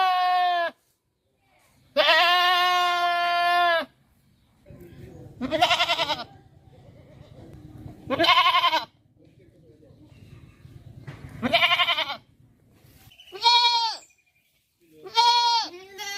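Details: Goat bleating repeatedly in a rural farm setting: long quavering bleats early, then shorter, sharper cries every two to three seconds over a low rumbling background noise.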